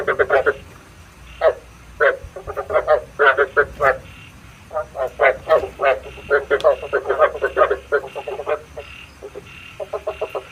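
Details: Frog croaks used to lure frogs into night traps, coming in clustered rattling bursts separated by short silences, several callers overlapping, with a faint low hum underneath.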